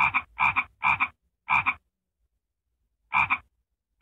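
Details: Frog giving harsh, buzzy croaks, each split into two quick pulses, four in a fast run, a gap of over a second, then one more and the start of another.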